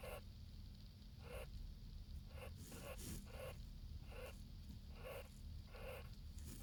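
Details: Short hoarse bursts from a jerboa, roughly nine in six and a half seconds, spaced unevenly, some closer together in the middle, set against a constant low-pitched hum.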